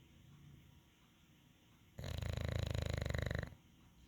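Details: English Bulldog at rest producing one loud, rattling snore lasting about a second and a half, rapidly pulsed and deep, after a stretch of near silence.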